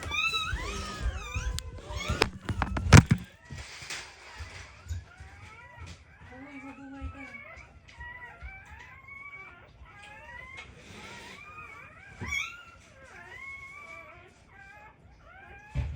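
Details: Black Labrador Retriever puppies just born in a first litter, being revived with emergency CPR, cry in short rising-then-falling whimpers, many in a row, between loud thumps and handling knocks.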